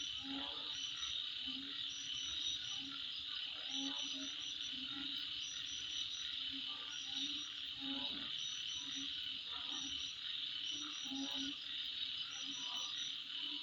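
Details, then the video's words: At midnight, insects keep up a constant high-pitched trilling hum, punctuated by clusters of brief upper chirps roughly every one to two seconds, with intermittent low frog croaks in the background. "Sound Of Insect At Midnight"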